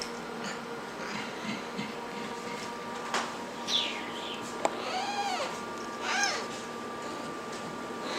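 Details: Pet serval at 17 weeks of age producing two faint, arching, harmonic squeaky cries a second apart, with a soft higher squeak before them over steady room hum.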